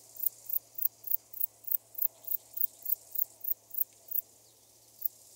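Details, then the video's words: Eastern grey bush-cricket recorded in Nesvady, Slovakia, on 22 July 2023 with an ultrasound detector; short high-pitched hissing chirps repeated about four times per second in a regular series, pausing before a final chirp, over steady low hum. "Platycleis grisea -- Graue Beißschrecke -- Eastern Grey Bush-cricket"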